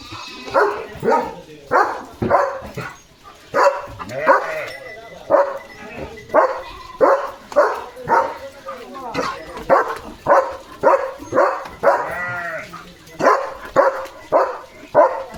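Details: A German Shepherd in a home yard on a hot summer day gives a long run of loud, deep, rough barks, roughly twice a second, likely at a passing dog or flock of sheep, with people talking.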